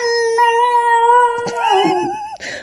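A Basenji gives a long, steady, tonal yodel that wavers and breaks into a warbling slide at the end.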